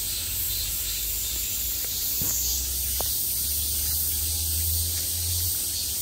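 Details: Many cicadas buzzing in midsummer, a constant sizzling drone filling the whole recording, while a low engine-like hum rises in the background partway through and a few faint clicks sound.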